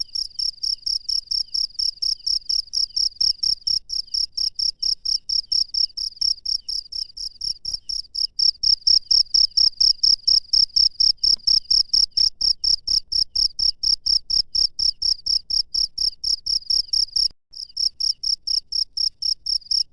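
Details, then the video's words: Wild cricket chirping at night: a steady series of high, bright pulsed chirps, roughly two per second, continuous for the whole stretch with a brief gap near the end, over faint low rumbling in the middle. "SUARA JANGKRIK LANGSUNG DARI ALAM LIAR DI MALAM HARI"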